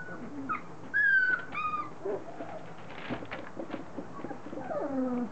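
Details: Standard Poodle puppies three weeks old, newly vocal and starting to play and mouth one another; clear high whines with bent, sliding pitch, a few loud squeals near the start, then softer whimpers and rustling.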